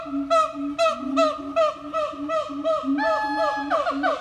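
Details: Chimpanzee; calls; communicating with one another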